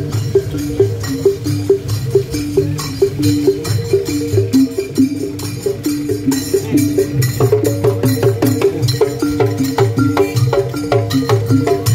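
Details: Percussive traditional music with rapid wood-block knocks, tambourine jingles and a steady repeating melodic figure; no animal voice stands out.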